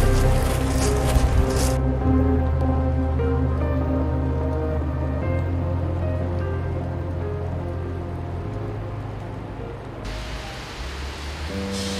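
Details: Loud instrumental music with sustained low tones and a rain-like patter throughout, and no animal voices.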